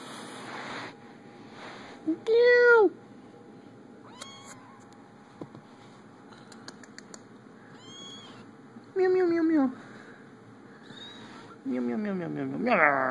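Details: Kittens at play, caught on an Android phone, meowing repeatedly: a short arched mew, then two longer drawn-out meows that fall in pitch, with faint high squeaks and light tapping between calls.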